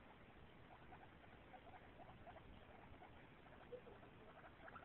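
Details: Guinea pigs in Jacksonville, North Carolina, United States, recorded on 6 September 2010, giving a steady run of soft, rapid, low chirping pulses over a faint hiss of background noise.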